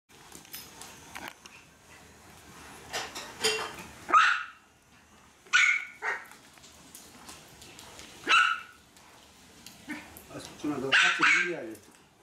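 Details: Maltese dog excited by mopping, giving short sharp barks and yips at about 4, 5.6, 8.4 and 11 seconds, with quieter clatter and background noise between them.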